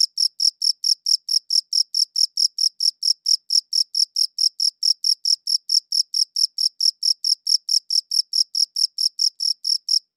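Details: A cricket chirps steadily, recorded with a good audio recorder. Piercing, high chirps follow one another at an even rate of about four and a half per second for the whole stretch, against silence.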